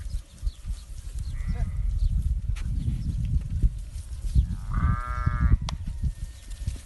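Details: Alarday goats on a farm in Saudi Arabia; a short faint bleat early on, then one clear wavering nasal bleat near the end, over steady low rumbling background noise.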